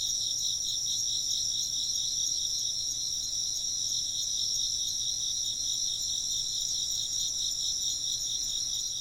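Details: Chirping insects recorded as ambient sound with occasional wind chimes; a dense, steady high-pitched trilling chorus of several callers layered in continuous bands, pulsing faintly throughout, with no clear chime strikes.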